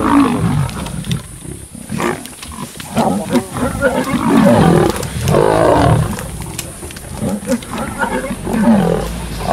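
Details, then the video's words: Young lions from the Kambula pride catching and killing a male leopard at MalaMala Game Reserve; continuous rough snarling and growling from several animals, with a man's voice briefly audible beneath. "12 LIONS attack LEOPARD!"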